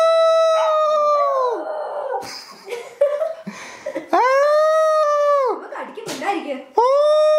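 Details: Pet puppy howling on command in a small room: three sustained, steady, harmonic howls, each ending in a downward slide, separated by a person's speech and soft background sounds.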